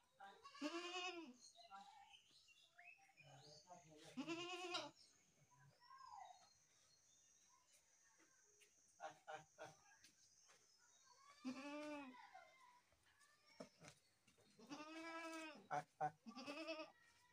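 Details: Goat bleating in four loud, wavering harmonic bleats spread across the recording, with quieter clicks, scuffles and brief voices between calls.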